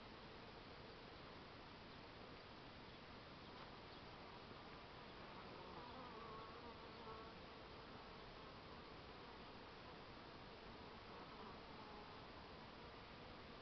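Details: A working honey bee's steady droning buzz hums through a dense wash of background noise.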